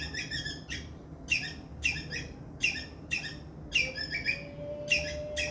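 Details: Squirrel making a loud distress call: rasping, buzzy chirps with quick falling flicks, in a loose series with short pauses, joined near the end by a faint thin steady tone, over a low hum.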